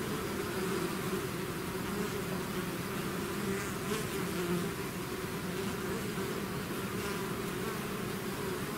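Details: Dense, even droning from a bee swarm out of its hive, many insects humming together in overlapping low tones without pause, with faint flickers of individual bees passing.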